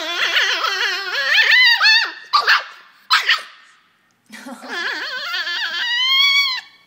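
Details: Poodle in China, said to be two-headed and annoying itself, giving high, wavering whines and yips in long warbling runs, broken by two short sharp yelps near the middle and a brief silence before a rising whine.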